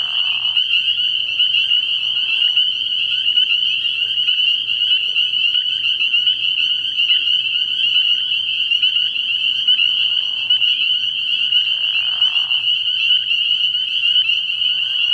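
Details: Night chorus of spring peepers at a frog pond early in the year: countless high peeps blend into a continuous piercing whine, while lower, hoarse calls break in briefly at the start and again around ten and twelve seconds.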